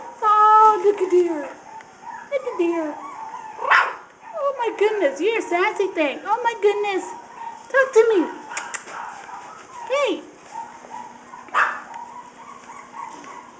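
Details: Shih Tzu puppies at play: rapid, overlapping yelps and short whines that slide downward in pitch, with bursts of higher yips. A person keeps talking and cooing over the puppies throughout.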